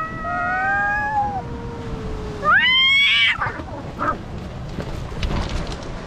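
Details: Fighting cats on rocks: a long, descending yowl, then a sudden harsh, rising screech. Faint scuffling and scattered clicks follow over low background noise.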